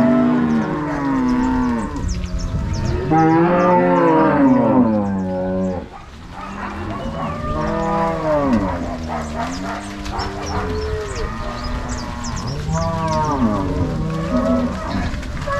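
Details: Herd of crossbred Angus-Nelore cows moved by cowboys and dogs from corral to pasture, Ortigueira, Paraná, Brazil, 16 March 2022; many cattle lowing together in long arched moos, a brief lull near six seconds, then more calls.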